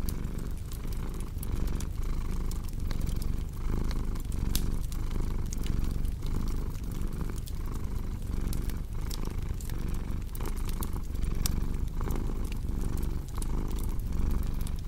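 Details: Low rumbling cat purr under frequent crackles and snaps from a fireplace, the purr rising and falling in soft breathing pulses.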